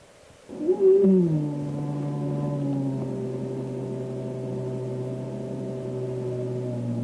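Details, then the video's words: Frightened bear from a program on Northern California forest sounds: a sudden rising wail that settles into a long, steady, low moaning tone held for about six seconds. "Yeah, and here's a frightened bear."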